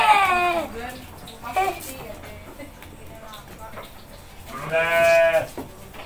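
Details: Goat bleating while a boy and his mother feed it, one wavering bleat at the start and another strong, steady bleat near the end, with children's and adults' chatter in Indonesian filling the gap.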